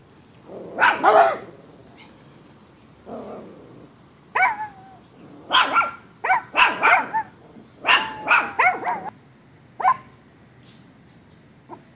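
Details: Chihuahuas at play in a sunny backyard, Trixie the Chihuahua alongside Cookie, a Chihuahua/Pomeranian mix, giving sharp, high, yappy barks in uneven bursts: lone barks, then quick clusters of three or four, about fourteen over twelve seconds.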